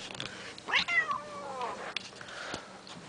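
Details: Blind house cat being chased gives a short, falling, complaining meow-like wail under a person's affectionate chatter, with scattered knocks in a small room.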